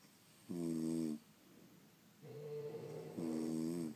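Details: French Bulldogs asleep at home, snoring: a loud buzzy inhaled snore, a softer drawn-out exhale, then another strong harmonic snore, all in a quiet indoor room.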